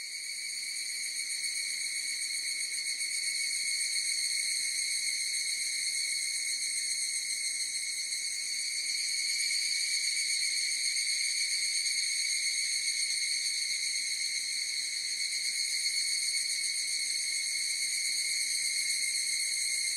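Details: Chorus of higurashi cicadas: a continuous, shrill, high-pitched ringing drone made of several steady layered tones, holding an even level for the whole stretch with only gentle swells in loudness.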